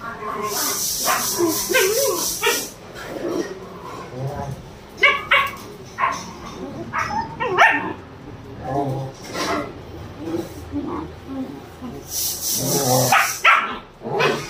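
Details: German Shepherds Rocky and Ruby at playtime; a run of short, sharp yelps and barks comes in clusters through the middle, with human voices and bursts of hissing, rustling noise around them.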